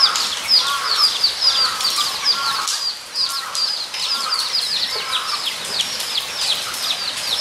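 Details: Guinea pigs at Nogeyama Zoo on 23 September 2012 squeak in high, chirping bursts, paired with lower rising-and-falling whistles, and a short lull near the three-second mark.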